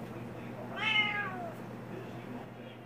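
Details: A Siamese kitten complains about not being allowed on the kitchen counter, indoors. It gives one brief meow that starts bright and slides downward, set over a quiet room with a low steady hum.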